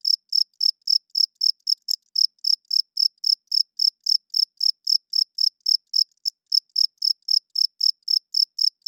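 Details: A cricket chirps at night in a fast, even series of sharp high-pitched pulses, about four a second, with only tiny hitches in the rhythm and a silent background.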